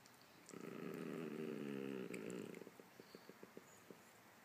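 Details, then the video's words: Dog growling as a Chihuahua and a Poodle chat together; one low, steady, rumbling growl lasts about two seconds, then a string of short soft clicks or taps follows. "Chihuahua chat with Poodle dog"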